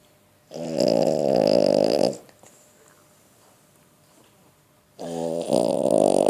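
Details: Sleeping 11-month-old female French Bulldog snoring indoors: two long, rough, buzzy snores, each about one and a half seconds, separated by nearly three seconds of quiet breathing.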